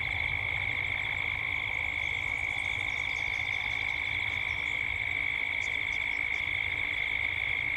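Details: Australian cicadas calling at dusk in Gippsland. An unbroken, high, rapidly pulsing drone dominates. Scattered thin high chirps, likely birds, appear in the second half, with soft low background noise.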